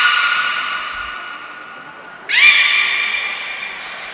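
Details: Aquarium beluga at Port of Nagoya Public Aquarium on 18 February 2024, at play after feeding time; a sustained harmonic whistle tapers off, then a sharp upswept call rises and holds as a long, even, rich tone.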